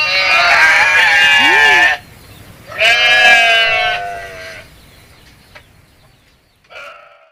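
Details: Goat giving two long, trembling bleats, the second slightly shorter, then a quiet pause and a brief final bleat at the end.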